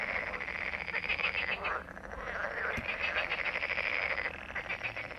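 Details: Many frogs croak together in a steady, buzzing rattle of quick pulses that fades briefly near the two-second mark, then swells again.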